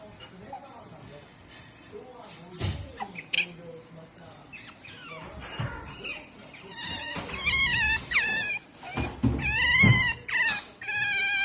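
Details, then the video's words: Pet otter named Melonpan, calm when the baby touches her but vocal when the father tries to touch her; high, bright squeaky calls repeated in quick bursts late in the clip, with human speech earlier. "makes noise when daddy try to touch her"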